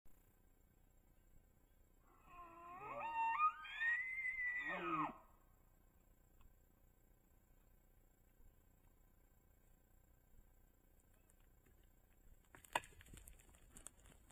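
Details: Bull elk on public land in Idaho during the rut, caught by a cell trail camera while chasing cows: one loud bugle rising in a harmonic sweep to a high, sustained whistle, then dropping, followed by quiet and a brief click near the end.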